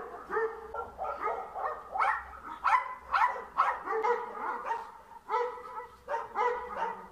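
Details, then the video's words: Dog in a Bulgarian yard, chasing a cat out, gives an unbroken string of harsh, harmonic barks and whining yaps, about two each second, overlapping with no pauses between them. "Dog Trying to Chase a Cat Out of the Yard"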